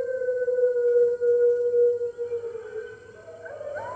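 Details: Red wolves at the NY Wolf Conservation Center on the morning of March 15, 2013, joining the center's other wolves in howling, picked up by a webcam. A long, steady, mid-pitched howl holds level, then other voices rise and slide in at the end.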